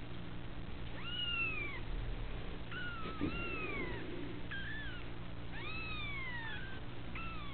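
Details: At the Felis Anatolia Cattery, a litter of kitten girls calls in a busy run of curved, high meows, several in quick succession, one faint thud midway and a steady background hum.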